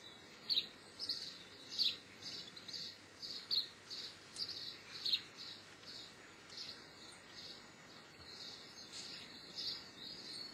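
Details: Geoffroy's marmoset, also called white-headed or tufted-ear marmoset, giving a steady series of short, high, sharp chirps roughly every half second, some doubled, over a soft hiss of background noise.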